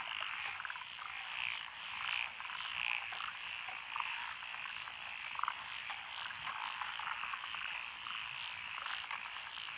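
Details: Mixed-species frog chorus from lotus paddies along a country lane in Echizen, Fukui Prefecture, June 2021, with tree frogs, pond frogs and wrinkled frogs: thick continuous croaking, a few lower clucking notes standing out above the din.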